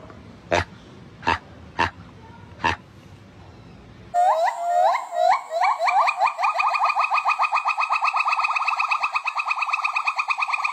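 A monkey gives rapid, high chattering calls that speed up into a steady trill, after a few sharp knocks.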